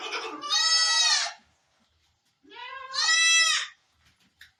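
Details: Barbari goat on a farm in Sultanpur around delivery time, giving two loud, drawn-out, strongly harmonic bleats about two seconds apart, each wavering slightly, with quiet gaps between.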